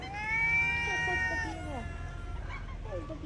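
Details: Stray cat waiting to be fed outdoors gives a long, clear meow that holds steady, then bends downward and fades after about a second and a half, followed by softer short mews while a man speaks quietly nearby.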